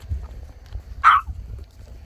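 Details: A single short, sharp bark from an excited dog visiting a grave in Korea, standing out clearly over quiet low-pitched outdoor background noise.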